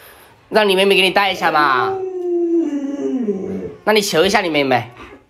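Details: Luoluo, a pet Alaskan Malamute, vocalizes indoors to wake an owner still in bed with the sun already high: wavering, harmonic woo-like sounds, then a long sustained tone that slowly falls, followed by another short burst of yodeling sounds.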